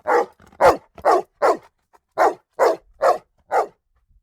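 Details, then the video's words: Single dog barking eight loud, rough barks at a steady brisk pace, about two per second, with faint soft sounds between. "Sonido de perro ladrando // Dog barking sound"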